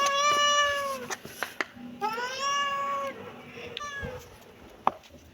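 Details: Kitten calling with three clear meows, the first two long and level, the last short, mixed with sharp clicks and taps.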